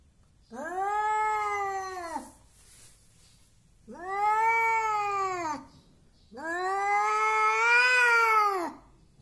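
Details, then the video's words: Hostile domestic cat, bold and intimidating yet quick to lose a fight, producing three loud arched yowls of about two seconds each, rising then sagging in pitch, spaced by short silences. "KUCING PEMARAH. Suaranya Aneh."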